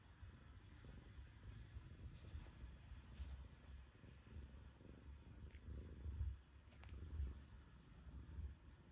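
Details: Purring from Terrace, a black cat settled on a lap in the morning after a chilly night; deep continuous rumble with rhythmic pulses, growing stronger near the six- and seven-second marks, faint clicks overhead.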